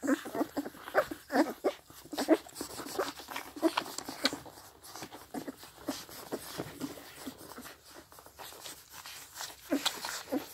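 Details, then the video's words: Sixteen-day-old Scottish Deerhound pups, seven of them, drink from their mother with smacking and slurping; irregular wet sucking clicks and occasional thin squeaks over a low background hiss. "Süße Hunde Baby Geräusche | 1 STD Deerhound Welpen beim trinken"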